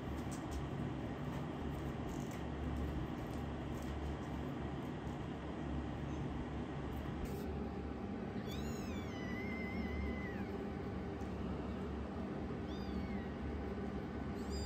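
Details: Young rescued foster kitten, the youngest, challenging its older sister kitten indoors; a few high, rising-then-falling mews around the middle and near the end over a steady low hum.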